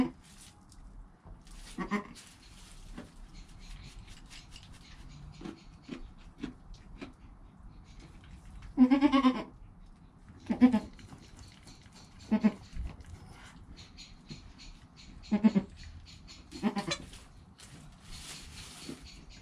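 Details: Bleating of Joel, a goat kid less than an hour old, filmed by GoPro next to his mother Penny: one strong wavering bleat near the middle, then several shorter, quieter calls spaced a couple of seconds apart, with soft rustling.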